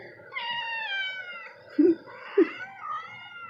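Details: Black cat giving long, drawn-out high meows with rich harmonics, the first held steady for about a second, the later ones rising and wavering; two short low thumps fall between them in a small room.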